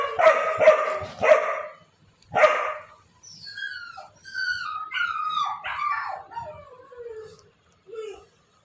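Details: Pet dog giving several deep, gruff barks in a quick series. These are followed by a run of high, wavering whines and yelps that slide downward, each drawn out, ending in short whimpers.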